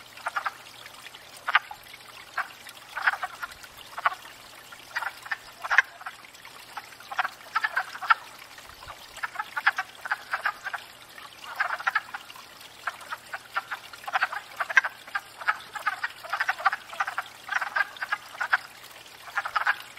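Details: Wood frog chorus at a spring breeding pond, frogs courting after thawing out; dense rattling clucks from many overlapping callers, swelling and easing in waves, recorded from a stationary tripod.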